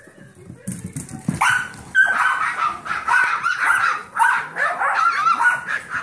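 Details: Seven-week-old Yorkshire Terrier foster puppies, with a fifteen-week-old Golden Retriever mix foster puppy named Trouble entertaining them. Soft scuffling opens, then a steady run of high, squeaky yips and barks overlapping one another almost without pause.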